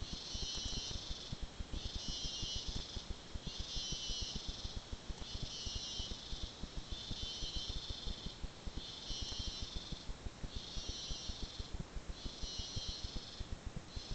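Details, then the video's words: Cicadas in the rainforest of Arenal National Park give a high, buzzy drone that swells in pulses roughly every second and a half. "sound of cicadas in the rainforest"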